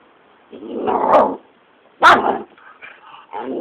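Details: Young Patterdale terrier confronting a caterpillar, giving a drawn-out growling bark followed by a sharp, loud bark and softer trailing yips, a person's voice heard nearby.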